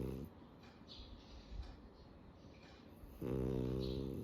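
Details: Sleeping French Bulldog snoring through the day: a brief low rumbling snore at the start, a quiet breathing gap, then a louder harmonic-rich snore lasting about a second at the end.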